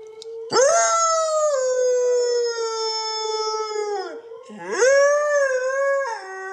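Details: Loki, a Siberian Husky, howls alongside his owner during their morning routine: one long level howl that tapers and drops at its end, followed by a second swooping howl rising then holding steady.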